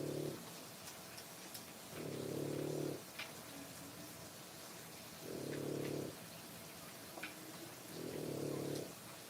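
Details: Three-week-old French Bulldog puppies, born 1/10/25, feeding at their mother's nipples: low, harmonic grunting bursts just under a second long, repeated about every three seconds, with faint clicks and rustling between them.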